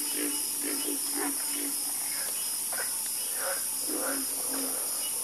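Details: Chorus of frogs croaking, short nasal croaks repeating irregularly from several callers, overlapping at different pitches, over a steady high hiss of insects.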